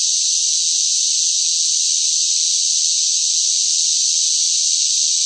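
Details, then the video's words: Cicadas droning loudly in the hot summer heat, an even, shrill, continuous buzz that stays level for the whole stretch, with nothing else audible. "뜨거운 무더위 속 시끄러운 매미 울음 소리"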